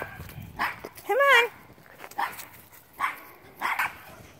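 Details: Mink, a four-month-old male wire-haired Portuguese Podengo Pequeno puppy, outgoing and playful. A rising-then-falling whiny yelp with clear overtones, set among several short, sharp barks.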